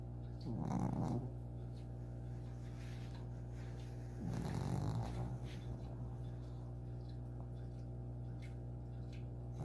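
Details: Sleeping eight-year-old pet dog snoring heavily, two rough low rasping breaths about four seconds apart, quiet stretches between them over a constant low electrical hum.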